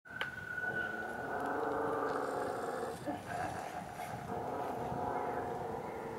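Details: Dog growling at another dog behind a fence: a sustained low rumbling growl with a rough, rasping texture, briefly interrupted around three seconds, then continuing steadily.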